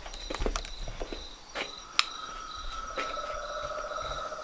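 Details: Toads, frogs and tree frogs calling at nightfall from a pond in front of a house veranda: a steady high whine runs throughout, a lower sustained droning note joins after a second and a half, with scattered sharp clicks and knocks.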